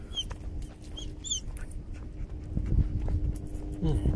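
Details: Timid dog, afraid of the leash and sensitive to leash pressure, protesting during a walk: short, high-pitched, curving whimpers in quick bursts near the start and again at the end, over low rumbling footsteps and a steady hum.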